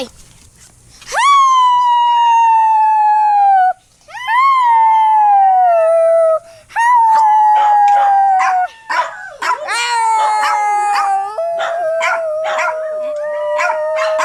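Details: Dog howls intended to make listening dogs howl: two long falling howls with a pause between, then a busier stretch of overlapping howls mixed with quick yelps and barks toward the end.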